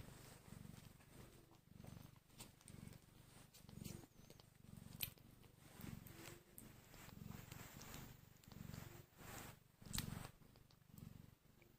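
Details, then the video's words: Hungry kittens only an hour old make a steady, low, pulsing purr that swells and fades in a regular rhythm, with faint rustling and scattered small clicks throughout. "So Tiny and Hungry Kittens | Making Cute sounds"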